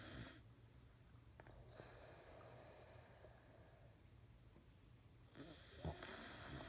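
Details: A beagle named Bill snoring loudly indoors after two weeks of nose medicine for a blocked nose; deep rumbling low snores in steady repeated breaths, with a sharper snort near the end.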